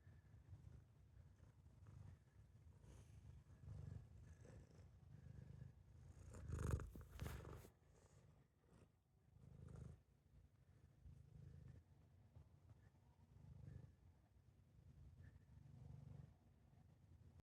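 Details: Domestic cat purring indoors, a soft low rumble in steady pulses that swells and fades over the recording, with a brief rustling knock near the middle.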